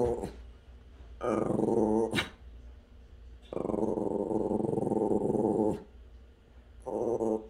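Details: A friendly dog 'talking' to the cat next door, which dislikes him: long, loud, rumbling growl-moans lasting one to two seconds each, with brief quiet gaps between, a sharper burst after the first, indoors.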